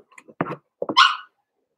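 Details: Blenheim Cavalier King Charles Spaniel puppies from a litter of five born at New Year's, in an indoor puppy pen: two short gruff barks followed by a higher, drawn-out yelping whine.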